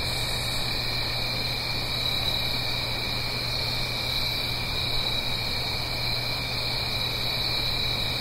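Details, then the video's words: A dense chorus of crickets fills an autumn night in the Blue Ridge Mountains near a stream, shrill and unvarying, with a faint low drone and a broad rushing wash beneath. "Fall Cricket Song"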